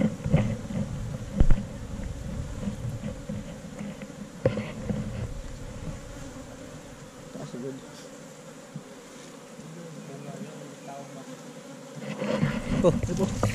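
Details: Honey bees at a hive inside a hole in a tree trunk during a honey harvest: a steady, droning hum runs throughout, broken by sharp knocks and clicks, with rougher handling noise and faint voices near the end.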